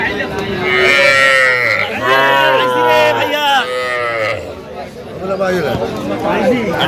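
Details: At a Faridpur cattle market in Bangladesh on 11 November 2025, where small bulls and heifer calves are traded, several deep, level moos follow one another over about three seconds, with men talking loudly throughout.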